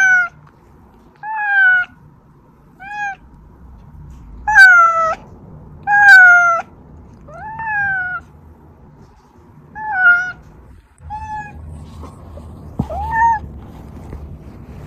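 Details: Repeated calls from Oz, a domestic cat whose meowing brings hiding cats Meonji and Dubu running out. Nine loud harmonic meows, several long and bending downward, a few short chirps, with faint low rumbling between them.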